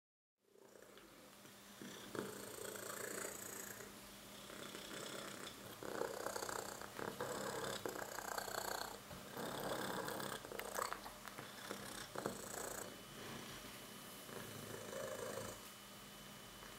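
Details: Oki, a moustache cat, purring on his 4th birthday amid boxes, treats and lots of fuss; a soft, rough rumble swells and fades in uneven bursts indoors.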